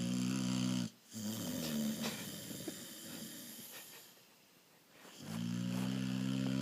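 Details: Low, vibrating snores from a sleeping moose: a steady droning breath at the start and again at the end, with a quieter, breathy stretch in between.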